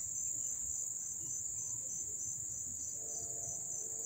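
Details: Crickets chirping up close at Dobbs Ferry, New York, on 1 August 2014: a dense, continuous high-pitched trill that holds steady throughout, with faint low rumble beneath.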